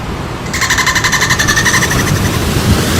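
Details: Dolphins at play give a fast, buzzy pulsed chatter of stacked tones lasting about one and a half seconds, then trailing off into steady low underwater rumble and hiss.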